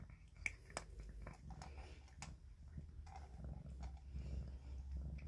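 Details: A kitten purring indoors: a steady, low continuous rumble runs through the whole recording, overlaid by scattered soft clicks and rustling handling noises.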